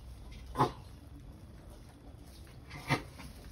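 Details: Sulcata tortoise during mating: two short, harmonic grunting calls about two seconds apart over a low background rumble, otherwise quiet.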